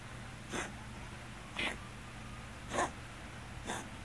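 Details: A Scottish Fold cat with hypertrophic cardiomyopathy gives hiccup-like coughs, four sharp bursts about a second apart, a cough the owner notes has grown frequent lately.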